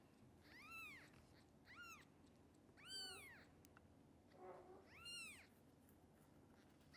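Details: Hungry kittens of the mother cat Xaxa, who lacks enough milk for all, being fed extra formula indoors; four high, arched meows rise and fall, spaced about a second apart, over a low steady hum.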